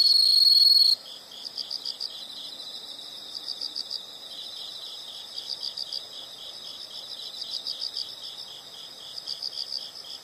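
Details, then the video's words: Insect calls in nature: a brief loud ringing tone opens, then soft, high, rhythmic pulsed chirps repeat steadily, about three or four per second, with quiet background hiss. "the sound of insects"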